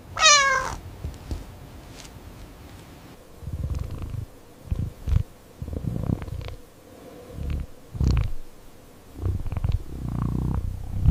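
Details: Domestic cat giving one short, high falling meow, then a low rumbling purr that comes in soft, uneven pulses with brief pauses between them. Faint rustling and handling noises are heard throughout.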